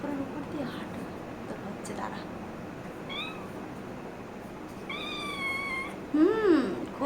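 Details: Mischievous playing kitten, one of four walking over laundry, utters a short mew, then a long drawn-out meow that wavers and slowly falls, followed by a woman's voice calling to it over household noise.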